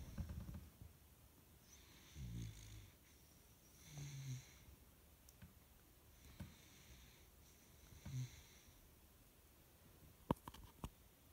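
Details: Morae, a sleepy baby Samoyed puppy, snoring in soft breathy bursts roughly every two seconds, each a short low rasp with a faint hiss above, followed by a few sharp clicks near the end.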